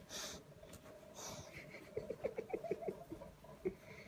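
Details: Little Bulldog sulking for mummy's attention at 7:30 on a Saturday morning, snuffling breaths followed by a rapid series of short high whimpering squeaks and one final squeak, indoors.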